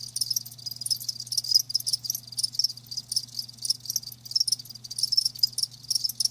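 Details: Chirping from live crickets comes in quick high, shrill bursts several times a second, loud and fairly even, over a soft constant low hum.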